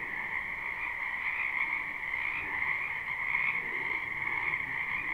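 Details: A chorus of frogs in a spring wetland, live and unlooped: steady overlapping trilled croaks holding a constant two-toned hum, slightly quieter, over soft low background noise.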